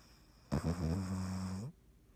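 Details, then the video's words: A loud, deep snore from Dottie, a sleeping cat, rumbling and buzzy for over a second before stopping abruptly; nothing else is heard. "Dottie snoring"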